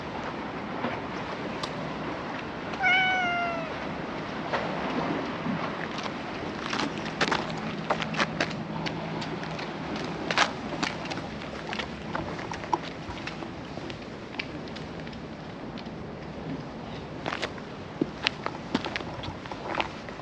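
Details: Stray cats gathered along a seaside road in the evening, being petted; one clear, short meow near the start, then scattered clicks and rustling over a steady wash of surf and wind.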